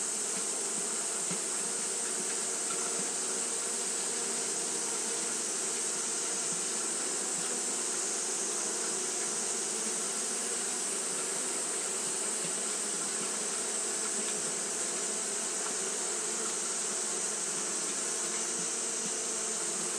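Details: Constant hum of Japanese honey bees keeping up fanning behaviour through a hot day, a dense wall of buzzing that holds level for twenty seconds with a strong hissy upper layer.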